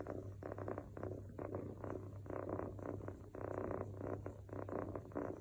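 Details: Mofy, a male long-haired Scottish Fold kitten, snoring softly while asleep: rhythmic, low breathy snores in clustered bursts, with a steady low hum underneath.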